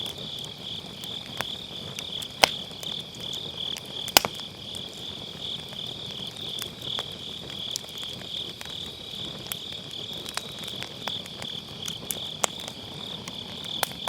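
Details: Grass insects on an autumn night beside a round fire pit, recorded with a Sennheiser MKE600 using low cut: a steady, high, pulsing chirr runs throughout, broken by sharp crackles and pops of burning firewood.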